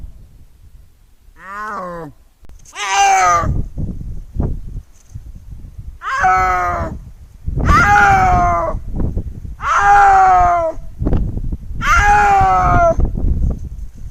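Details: Snow leopard calling with drawn-out, wavering yowls, repeated roughly every two seconds, each rising then falling with a rough, moaning tone.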